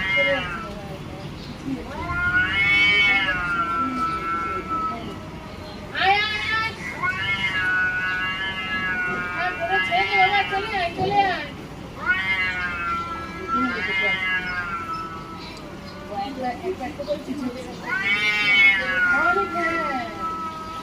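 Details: Cats fighting for control of territory, repeated loud, wavering caterwauls rising and falling, about six long howls over twenty seconds with growling gaps, plus a person's voice and faint music.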